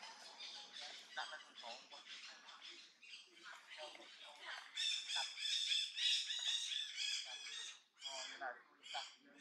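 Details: Long-tailed macaque in the Angkor Archaeological Area near Siem Reap, Cambodia, shouting loudly on seeing an enemy approach; dense, harsh, high squawking calls in rapid overlapping bursts, loudest in the middle, with brief pauses near the end.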